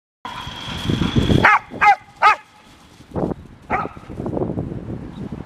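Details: Playful barking from two one-year-old dogs, Golden Retriever Selma Verona and Australian Shepherd Vili: four sharp, tonal barks in quick succession after a low rustling start, then scuffling and shuffling noises as play continues.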